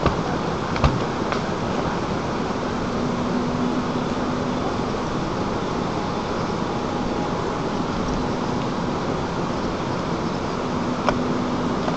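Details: Steady broadband rumble like passing traffic or machinery with a faint hum and a few clicks, and no animal voice.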